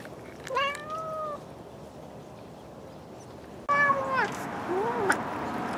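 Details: Bengal cats playing with toy mice give clear meows: an early call that holds steady, then after a pause a louder falling meow followed by a short bent one, over a faint background hiss.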